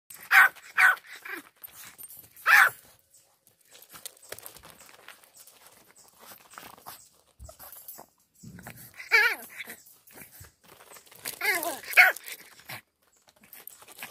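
Yorkshire Terrier puppies give high, thin yelps and squeaky whines in short scattered bursts.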